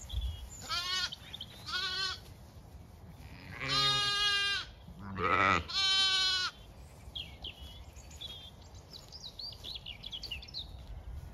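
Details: Zwartbles ewes and lambs grazing fresh pasture in County Kilkenny, Ireland; several wavering bleats, two short high ones early, then three loud, long, deep-harmonic calls in quick succession, followed by faint distant birdsong.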